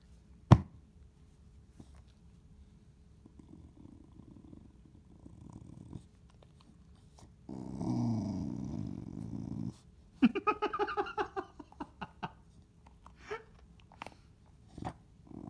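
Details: Chow Chow in a small indoor room, a steady low growl held for about two seconds midway, then a burst of rapid harsh snarling pulses, with faint rumbling earlier and sharp taps.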